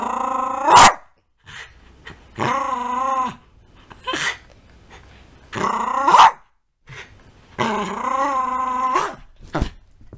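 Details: A small pet dog growling while playing with its toy indoors: long rumbling growls of a few seconds each, four bouts with sharp bark-like bursts between them, short quiet gaps.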